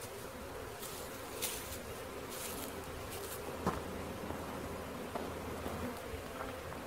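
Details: Swarming honey bees being caught fill the air with an even, low drone, broken by short handling bumps and scrapes.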